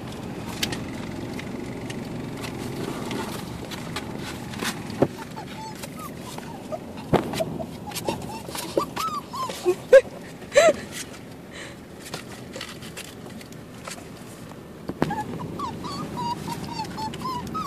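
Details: Two-month-old chubby male mixed-breed puppy awaiting adoption, still living at the carpark where he was born; thin high whimpers and short rising whines come in scattered bursts, mixed with sharp clicks, handling knocks and a low background hum.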